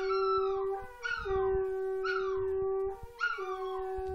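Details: Female Chihuahua-Miniature Pinscher mix howling at home in response to a conch horn being practised; four high, wavering howls that slide downward in pitch break in over the horn's steady, loud, low drone.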